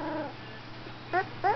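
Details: Golden retriever singing a little tune during a photo session, heard as a fading whine followed by two brief, bright yelping notes about a third of a second apart, over a faint background hum.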